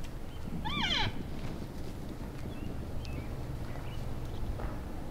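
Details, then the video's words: {'caption': "A single arching, whiny squeal from an elk bull during post-rut sparring play in January in Canada's Rockies, followed by a low steady outdoor rumble and faint distant squeaks."} "Vocal Elk Bulls Sparring After the Rut"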